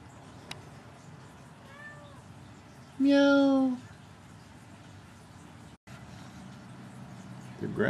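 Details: A female Abyssinian cat in a screened outdoor enclosure on a cool day, about 62 to 65 degrees, gives one clear drawn-out meow that rises then falls, preceded by faint softer mews, with a person talking before and after.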